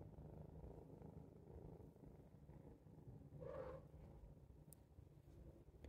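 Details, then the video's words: Domestic cat purring contentedly while watching birds through a window; steady low rumbling purr throughout, with a brief higher sound midway and a faint click. "Jay has a purrrr"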